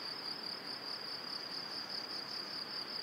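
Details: Crickets in the evening near a cereal field and forest in spring, Powidz Landscape Park, Wylatkowo, give a high, steady, finely pulsing trill without a break over a soft, even hiss like light rain.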